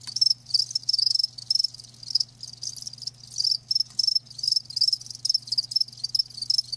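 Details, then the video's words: Crickets kept live, heard as a natural sound, give rapid shrill chirps grouped in bursts of uneven length, separated by brief gaps, over a quiet low electrical-like hum. "Live Crickets 60min "Natural Sound""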